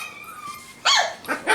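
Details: Indoors in Carthage, Missouri, a five-week-old F1b Cavapoo puppy from Honey's litter, shut in a bathroom and wanting to join people in the front room, gives a sudden loud wavering cry after faint background whimpers.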